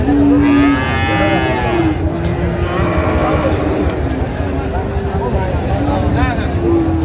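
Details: Friesian or crossbred bull calf for sale at Raniganj cattle market, Dinajpur, Bangladesh, on 24 April 2025, lets out a loud, flat, sustained moo at the start, then fainter lowing beneath a murmuring market crowd.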